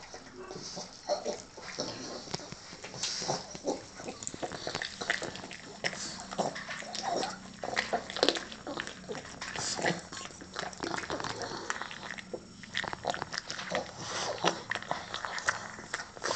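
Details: Blind pug having dinner: a steady run of dense crackling chewing and lapping clicks, with snuffly bursts scattered throughout and no clear vocal calls.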